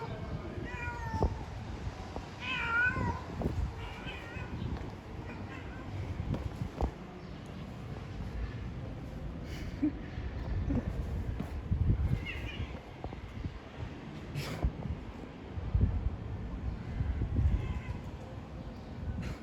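A female domestic cat in heat gives drawn-out, wavering meows to attract a mate.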